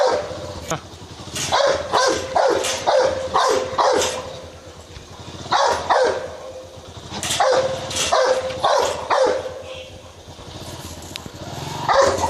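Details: Rottweiler attacking a man: repeated deep, rough barks in clustered volleys of three or four, around a dozen in total, with voices and scuffling noise underneath.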